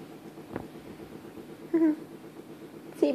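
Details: Kai, a Bengal cat, sleepy after a nap that followed play outside, gives two short, clipped meows about a second apart, each with a brief downward bend, against a quiet indoor background.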